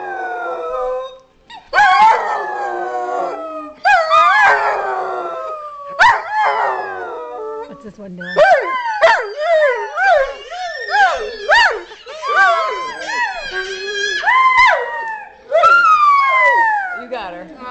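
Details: Several pet dogs howl together in a singing chorus, their voices sliding up and down in long wavering tones and bending whoops that overlap, broken by short pauses and yips, with a faint voice in the background.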